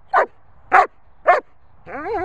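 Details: German Shepherd barking on command; three short, loud, sharp barks spaced about half a second apart, followed by a rising-falling whine-like tonal sound at the end.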